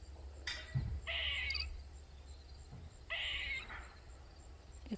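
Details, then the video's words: Backyard squirrel in Maryland that kept crying loudly for over 45 minutes. Two rasping, drawn-out cries come about two seconds apart, with a man speaking quietly and faint low rumble between them. "Squirrel Made Loud Sounds For Over 45 mins"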